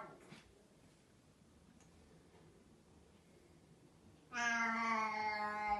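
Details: Indoor pet cat that is vocal after finishing its food; a quiet room holds faint noise, then a single loud, drawn-out meow with rich harmonics near the end.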